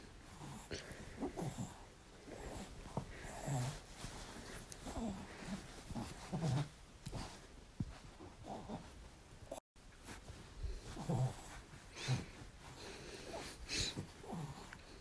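A French Bulldog snorts, grunts and whimpers in short, wheezy bursts while asking for cuddles.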